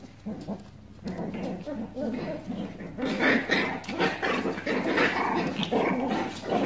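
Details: Pomeranian puppies at play, giving continuous rough growling and squealy whines with overlapping bursts, with a human voice mixed in and a steady low hum.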